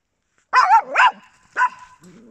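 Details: Small dogs from a household with Papillons and a Yorkshire Terrier give two quick, tonal, wavering yips followed by a shorter third yip, ending with a faint low whine.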